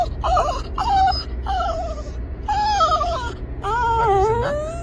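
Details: A Kooikerhondje worked up while waiting for the dog run lets out a run of loud, wavering, yodel-like whines and whimpers, five or so bursts rising and falling in pitch, over a continuous low background drone.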